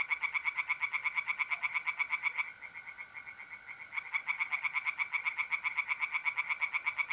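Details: Tree frogs singing in a pond on an April night in North-East Italy: fast, evenly pulsed high croaks in a dense run, pausing briefly midway, over the steady, unbroken trill of mole crickets.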